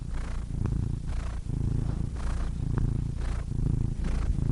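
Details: Low rattling purr from a cat, steady and dense, with breathy hisses of inhaling and exhaling roughly every half second to one second layered over the rumble.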